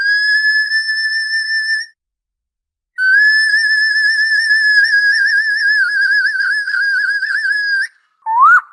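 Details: Orca producing two long, sustained whistled tones layered with overtones, the second growing tremulous and wavering toward its end, then a brief rising squeal; no other sounds.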